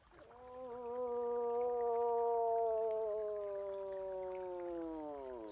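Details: Moose producing one extended nasal moan of roughly five seconds, steady and slowly sinking in pitch toward the end. Faint high bird chirps come through in the background.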